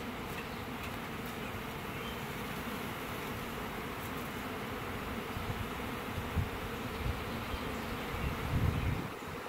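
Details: A honey bee swarm of roughly 20,000 to 30,000 bees from a one-year-old hive, on a June Saturday morning, being housed in a hive box while the bees fan. A dense, steady, low buzzing drone continues throughout, with a few louder surges near the end.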